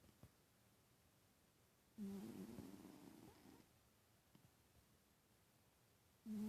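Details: Sleeping house cat named Titus gives one long, rough snore of about one and a half seconds, a low buzzing tone over breathy noise, then a quiet gap before the next snore begins.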